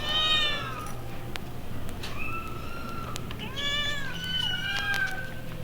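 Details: Several kittens at an animal pound, from a 1960s vinyl recording, mewing in overlapping high, wavering cries, some descending and some rising then falling, about five calls in under six seconds over a steady low hum and faint clicks.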